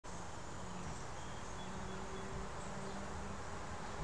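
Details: Very active honey bees at a hive landing board in a suburban backyard give a low, steady droning hum toward sunset on 13 July 2019. Behind them rumble an AC heat pump, traffic, barking dogs, birds and people.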